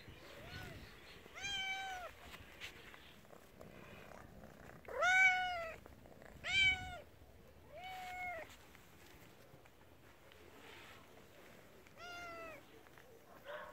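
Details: Mother cat, once wild and now spayed, watching over her two kittens on a property shared with rescued tigers. Loud arched meows with rich harmonics come in bursts, some paired, a few seconds apart, with faint breathy sounds between.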